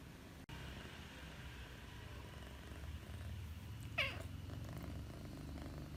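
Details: Sleeping domestic cat snoring, a soft, low rumbling breath sound running steadily throughout, with a brief sharp click near the start and a short rising chirp about two-thirds of the way in.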